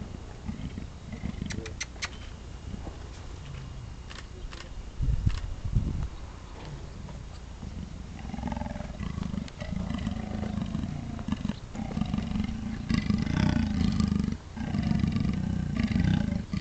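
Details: Two Amur leopards making intimidating noises: a few sharp clicks at first, then deep, rasping, pulsing growls that swell and fade through the second half.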